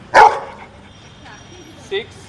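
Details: A dog, presented as clever at sums, answers a spoken counting question with a single sharp bark near the start, followed by a faint short sound and quiet room background.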